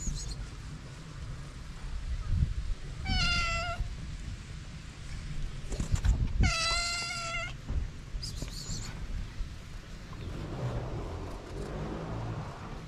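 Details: Hungry feral cats, a calico and a ginger, outdoors; two clear drawn-out meows, a short one and a louder one, plus a faint third, over low traffic rumble and handling thumps.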